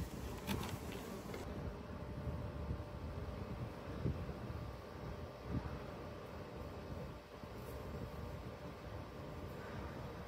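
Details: Honey bees from urban beekeeping hives kept with a restaurant in Ontario, giving a low, steady droning hum over broadband rumble, with a few brief clicks and taps.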